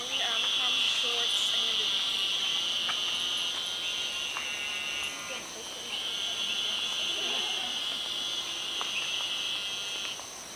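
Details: Eastern narrow-mouthed toads (Gastrophryne carolinensis) chorusing: long, high, nasal buzzes overlapping into a continuous drone that drops out briefly near the middle before resuming, over a steady, thin, high insect tone.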